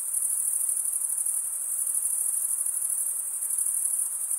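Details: Stridulating male crickets make an unbroken, piercing high trill, even and pulsing slightly, over a soft background hiss.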